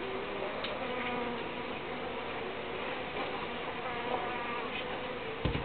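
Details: Uruçu bees produce a constant whirring buzz with overlapping drifting tones, ending in a short low knock.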